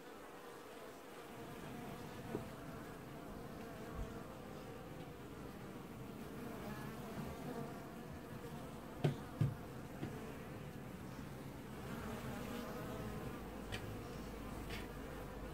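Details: Honey bee colony washboarding at the hive in an apiary, early July 2019: a steady low droning buzz throughout, with a few soft clicks near the ninth second.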